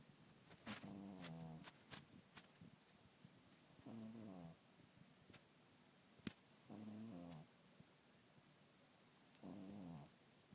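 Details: Snoring cat asleep: four short, raspy, wavering rumbles roughly every three seconds, with scattered clicks and taps in the background.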